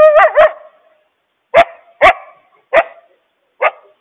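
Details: A coyote, apparently a mother warning her family about a large stray dog loose nearby, gives two quavering yips followed by four sharp, spaced barks.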